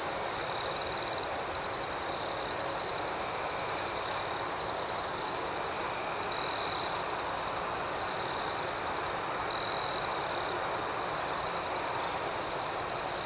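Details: Nighttime crickets: a continuous shrill trill with a softer, rapidly pulsing chorus higher up, broken by three louder chirping bursts spaced a few seconds apart.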